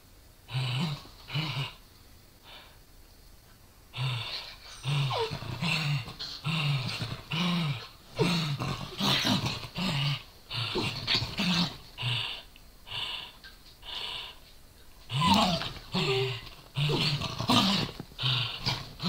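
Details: A Corgi snarls during a playful tussle with a Dachshund over a toy. Rhythmic low growls pulse more than once a second, with harsher noisy bursts toward the end.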